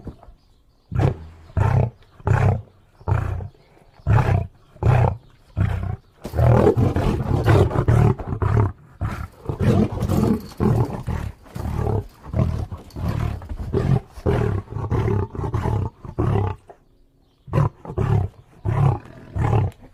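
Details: Lion roaring: a long series of deep, pulsing grunts repeated roughly every half second, swelling midway into several seconds of continuous rough roaring, then returning to short, heavy grunts that fade out near the end.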